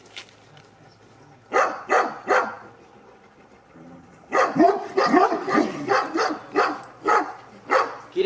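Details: Sarplaninac Hidegdombi Hűséges Avatár, aged two and a half, barking during a courage test: three loud barks about a second apart, a pause, then a dense volley of rapid, harsh barks, with a steady low hum underneath.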